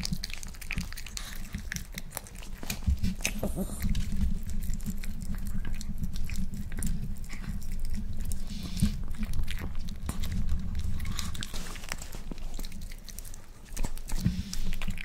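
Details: Rafa, a pet Miniature Pinscher, eats a boiled egg for the first time indoors, finishing one egg. Sharp clicks and moist smacks of chewing come in quick irregular bursts over a steady low hum.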